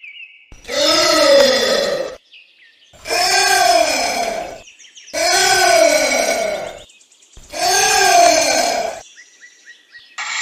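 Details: Calling anteater: four long, moaning, harmonic calls with an arched rise-and-fall pitch, repeated about every two and a half seconds, with faint chirps between them.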